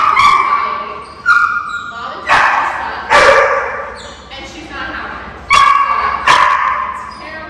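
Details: Zara, an 8-month-old high-drive German Shepherd/Belgian Malinois mix puppy in a two-week board-and-train program with OLK9 Charlottesville, gives sharp, loud barks at irregular intervals, about six bursts, with human speech running underneath.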